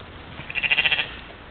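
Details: Brief pulsed, tremulous bleat from a mouflon herd playing at a waterhole one morning in Czempiń forest district, Wielkopolska, Poland, trail-camera recording from 13 July 2018; about half a second of rapid fluttering pulses over faint hiss.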